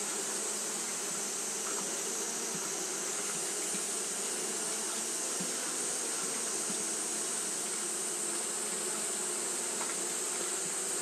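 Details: On a hot day Japanese honey bees fan without stopping; a level, dense hum with low tonal bands and a persistent bright hiss on top, small ticks scattered through.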